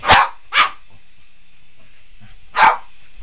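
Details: Boston Terrier chasing a remote control helicopter, giving three sharp, loud barks: two in quick succession at the start, then a single bark after a two-second pause, with a faint steady whirring underneath.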